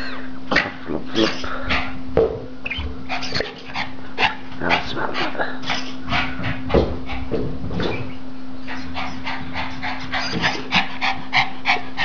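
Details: Male Norwich Terrier, almost three years old, playing with a toy: a near-continuous run of short, rough, snorting barks and growly bursts, with brief pauses, over a steady low electrical hum.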